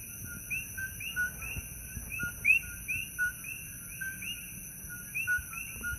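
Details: Several coqui frogs call over one another at night in Holualoa, Kona Coast, Big Island, Hawaii, each giving a sharp two-note 'co-qui' that jumps upward.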